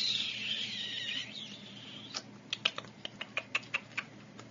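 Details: Teacup Yorkshire Terrier puppy indoors gives a high, thin whine that wavers and slowly slides downward for just over a second, then falls silent while a run of sharp, evenly spaced ticking clicks follows.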